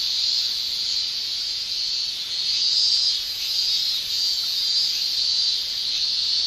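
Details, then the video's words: Summer cicadas in Japan shrilling as a steady, dense, hissing drone at a high pitch. The sound swells and fades slightly over a few seconds but never stops. No other clear sounds. "Japan Summer Cicada Shrilling"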